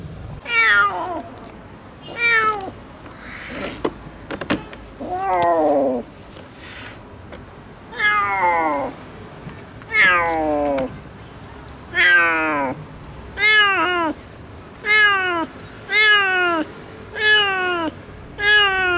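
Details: Rescued stray kitten, left abandoned for two days in -11°C snow, meows insistently: about a dozen descending, tonal cries, irregular at first, then steady roughly every second and a half toward the end.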